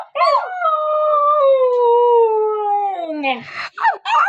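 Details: Siberian Husky holding one long, steady howl for about three seconds that slowly drops in pitch, with brief yelping notes just before and after.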